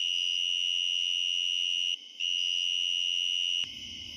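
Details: A tree cricket in eastern Pennsylvania, recorded up close at night in mid/late summer to fall, sings a steady, loud, pure, high-pitched trill that pauses briefly before carrying on.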